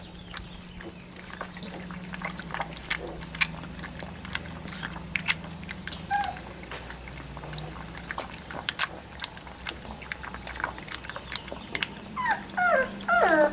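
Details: Three-week-old Labrador Retriever puppies indoors: steady clicking and chewing noises most of the way, then a run of thin, high, wavering squeaks and whimpers in the last two seconds, with a low hum underneath.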